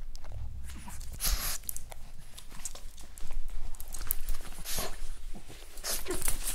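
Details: Boston Terrier named Bugsy, recorded in a studio for monster sound effects. Deep, rumbling growls with snorting, breathy bursts and handling noises throughout.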